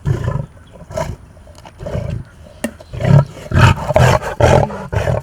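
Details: Rescued big cat at a wildlife refuge, acting bossy toward a caretaker, voicing low throaty roaring bursts that come faster and louder toward the end, a woman's voice talking in between.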